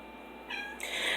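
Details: Female domestic cat meowing indoors in the background, trying to get her owner's attention because she wants to be picked up; a high, harmonic meow begins midway and swells louder toward the end.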